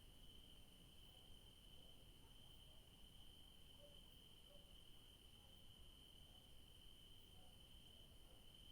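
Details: Crickets in the evening in a garden where yellow daisies grow, giving a steady, unbroken high-pitched trill that holds one even pitch throughout, over a soft low rumble of background noise.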